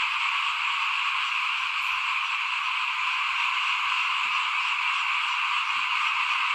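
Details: Frogs calling in front of a house at rice-sowing time in 2021: a dense, unbroken chorus of many callers forming a steady mid-to-high trill that never pauses, with a couple of faint low knocks.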